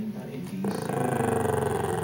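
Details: A female Shih Tzu "talks" back to her owner with a low, drawn-out grumbling vocalization while the owner speaks over it.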